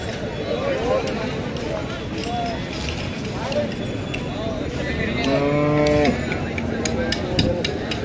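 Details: Cattle at a bullock market in Deulgaon Raja, with bullock prices said to have risen because of sowing; a strong, steady harmonic moo lasting about a second rises out of crowd chatter, speech and market bustle.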